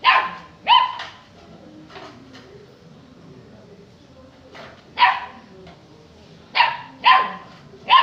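A Saint Bernard puppy gives short, sharp barks in scattered bursts, some doubled in quick pairs.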